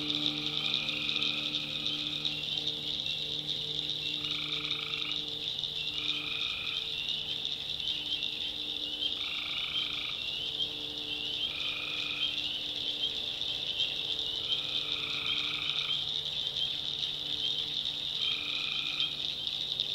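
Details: In a North Carolina backwoods swamp at night, tree frogs keep up a dense high chorus while short nasal notes recur irregularly, around eight across the stretch, over faint low drone.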